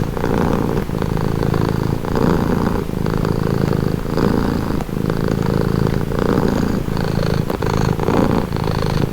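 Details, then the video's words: Calming purr of a pet cat, a continuous low vibrating rumble that rises and falls in regular breath cycles roughly every one and a half seconds, with short soft breaks between them and nothing else audible. "Purring cat"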